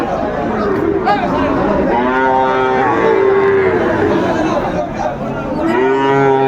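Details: Sahiwal cattle lowing at the traditional Ambari haat cattle market in Brahmanbaria, Bangladesh, on 31 May 2024. Drawn-out, harmonic moos rise and fall over steady crowd chatter and men talking nearby.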